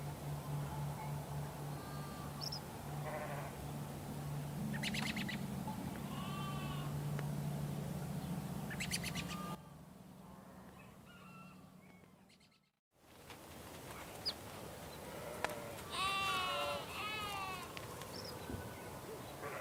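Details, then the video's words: Sheep giving repeated quavering bleats, bunched early on and rising to a louder, rapidly wavering burst later, broken by a brief near-silent gap midway; a constant low hum and faint bird chirps sit underneath. "Sheeps Relaxing Sound"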